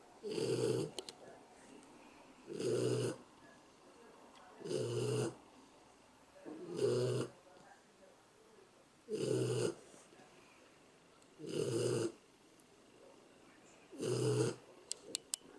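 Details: A sleeping dog snoring steadily: seven broad, rasping snores, each about half a second long, repeated roughly every two seconds. Quiet room otherwise, with a few faint clicks near the end.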